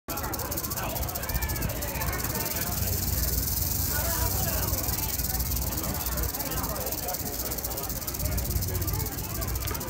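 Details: Eastern diamondback rattlesnake shown at a rattlesnake festival in Claxton, Georgia, rattling as a warning to keep predators and people away; steady dry high-pitched buzz runs unbroken through the whole stretch, with crowd chatter underneath.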